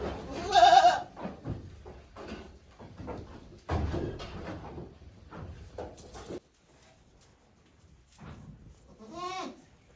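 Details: Newborn goat kids, one day old, on a farm on 17 April 2024, give a loud, quavering bleat at the start and another near the end, with bumping, rustling and handling noise in between.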